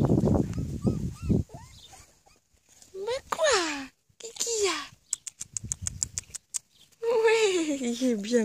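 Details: Akita Inu puppies on their first steps outside give drawn-out, tonal whines that slide downward in pitch, one burst midway and a longer wavering one at the end, with a woman speaking French early on and rustling between calls.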